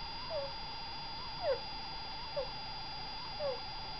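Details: Degu sleeping, with breath sounds signalling illness rather than simple snoring: four short, falling 'kuu' squeaks at uneven intervals, under a continuous wavering hum.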